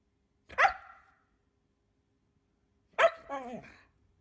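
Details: Siberian Husky "talking": two short, sharp yelping barks about two and a half seconds apart, the second followed by a brief wavering, falling whine; otherwise quiet.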